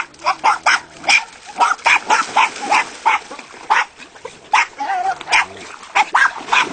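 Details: Jack Russell terriers at a breeding kennel in Italy; rapid high-pitched sharp barks and yaps, roughly twenty in quick succession, several dogs overlapping in a continuous excited chorus.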